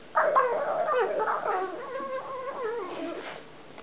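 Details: Columbo the pug, playing, gives one continuous warbling whine that wobbles up and down in pitch and slowly drifts lower over nearly four seconds.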